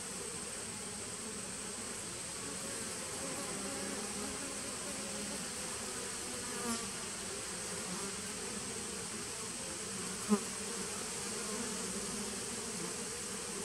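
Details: Honey bee nucleus colony from 2017, heard on 19 September 2018: a constant, layered buzzing of numerous bees, low and even for the full length, broken only by a brief sharp tick near the end.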